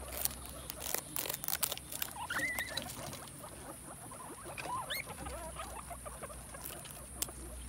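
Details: Guinea pig eating bamboo shoots: dense crisp chewing and crunching clicks throughout, with two short squeaky whistles, one bending upward near the middle, over a steady faint background hiss.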